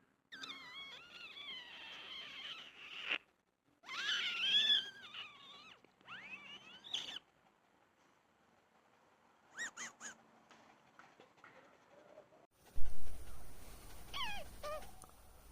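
A dog gives wavering, high whines and yodel-like howls in short bursts separated by pauses.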